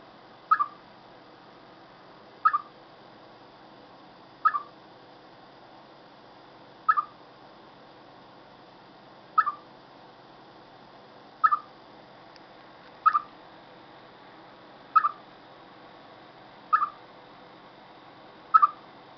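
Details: Ten crisp chirps from a chipmunk before bad weather, each a brief falling note, spaced evenly about every two seconds in a long, patient series with no other sounds.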